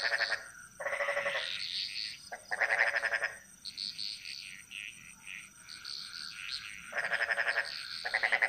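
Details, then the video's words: Bali jungle frogs calling together: pulsed, bleat-like croaks alternate with stretches of softer higher chirps from more distant frogs, all over a steady high-pitched background drone. "Frog Mantras - Relaxing Sounds Of Bali"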